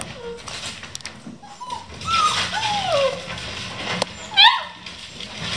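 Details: Vizsla puppies, eleven in the litter, playing at 3 am in a kennel: thin whining whimpers rising and falling, one sharp high yelp near the end, with rustling in the background.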